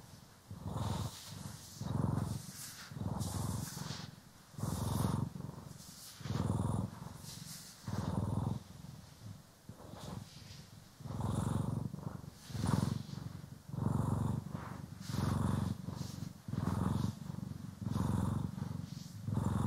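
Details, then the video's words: Domestic cat, Poki or Kiwi, purring while being brushed and groomed, stereo; continuous low rumble pulsing in rhythmic swells, faster here, around twenty-plus cycles, with crisp brushing strokes throughout. "CAT ASMR | Purring, Grooming & Brushing"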